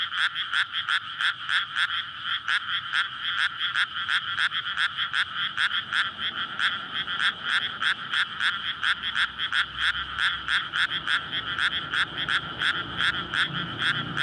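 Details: Night chorus of frogs courting in a water-filled May rice field near a road in a residential area; rapid rhythmic croaking pulses stack steadily, with a faint low rumble of passing traffic beneath.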